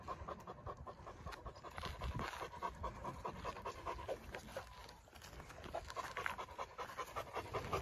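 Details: Great Dane at training, breathing in quick irregular pants, roughly two and a half per second, fairly soft against a hiss of background noise.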